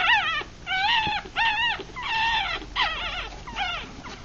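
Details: Litter of six three-day-old puppies from a Rat Terrier mother and Chihuahua father, eyes still closed while feeding; run of loud drawn-out squealing whines, some bending up and down, with brief gaps between.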